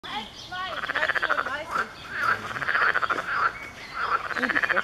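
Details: Several frogs call together in a dense chorus of rapid, rattling pulsed croaks, recorded at Zoo Magdeburg on 7 June 2015; finding: frog.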